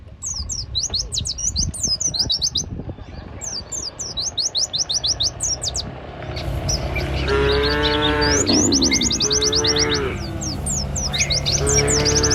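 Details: Herd cattle walking a village road with their herder in a light breeze: first half holds only quick repeated bird chirps over low rumble, then deep sustained moos arrive one after another in the second half, chirping continuing above.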